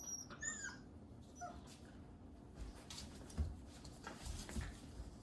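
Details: Several 8-week-old Labrador Retriever puppies wrestling together indoors: thin, high whimpers and squeaky yips in the first second and a half, then soft scuffling thumps and rustling as the play continues.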